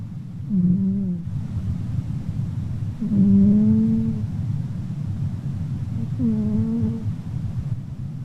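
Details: Loud snoring from Pinky, a red pet cat fast asleep: three soft, slightly rising droning snores, about every three seconds, the middle one longest, over faint low background rumble.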